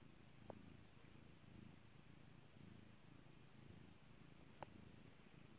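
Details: Kairi the domestic cat rumbles with a steady low purr while being petted, the droning pulses constant throughout, marked by two brief sharp popping clicks, near the start and toward the end.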